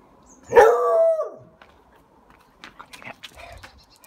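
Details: A beagle barking because he wants someone to get his ball: one loud, drawn-out bark with a falling tail lasting nearly a second, followed by faint scattered knocks and small noises.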